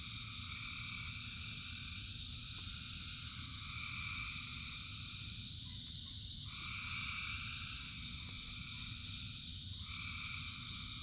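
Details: Frogs calling in rain: a dense chorus with a steady high trill, plus broken bands of mid and high tones starting and stopping every few seconds, over constant low rumbling rain noise.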